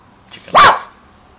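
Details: Domestic dog barking at something unseen; a single sharp, loud bark of about a quarter second, with faint softer sounds just before it and quiet afterward.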